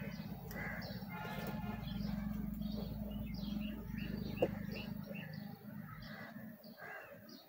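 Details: Western honey bees from a big hive during a honey harvest of about 5 kg give a steady low hum, with small birds chirping in the background.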